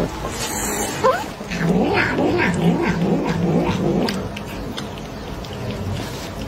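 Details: Domestic cat, described as angry while being fed, eager for more food. Gives a short rising meow, then a low, wavering, growly moaning over several seconds with a few brief higher yowls. Faint background noise throughout.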